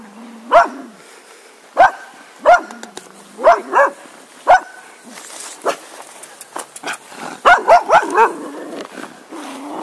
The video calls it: Cocker Spaniel Dog Barking Sounds